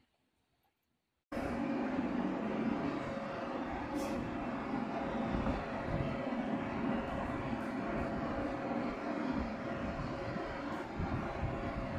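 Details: About a second of near silence, then steady broadband rumble like a passing train or traffic fills the rest, with no animal voice standing out.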